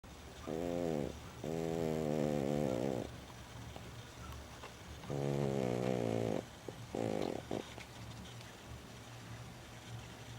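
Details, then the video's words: Lulu, a pet female dog, snoring in her sleep: four rough, buzzy snore bursts, each lasting about half a second to a second and a half, separated by short quiet gaps, with a low steady hum underneath. "Mi perrita LULU roncando"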